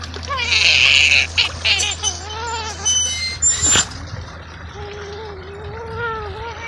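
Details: North American river otter giving funny noises: loud bursts of high squeaky chatter, then wavering whiny tones that rise and fall in a drawn-out, warbling pattern, with a steady low hum underneath.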